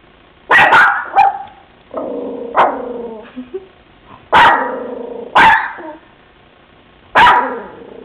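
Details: Bebe, a pet dog exploring a new house, barks from a bedroom at kids outside next to a van: sharp, loud barks in irregular bursts, with lower, drawn-out growly yelps between them.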